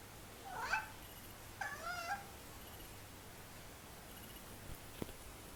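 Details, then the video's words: Young pet kitten indoors making odd, funny noises: a short harmonic mew near 0.7 s, then a longer wavering, warbling call around 1.6 to 2.2 s, followed by quiet with a faint click near 5 s. "Makes Hilarious Noises"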